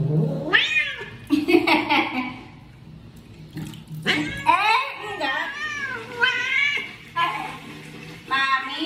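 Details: An odd-eyed house cat in an angry mood utters repeated wailing meows that sweep up and down, mixed with a person's voice in a small room.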